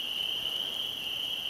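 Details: Spring peepers calling at night, 10 PM in May 2011, heard from a tent on Opalescent Lake in Algonquin Park during a light drizzle; many callers merge into one steady, shrill, high-pitched ringing tone without break.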